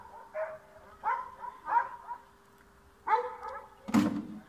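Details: Dog in a yard in Bulgaria, trying to chase a cat away, giving short harmonic barks in irregular bursts, several close together, then a sharp, loud broadband thump near the end over a steady low hum.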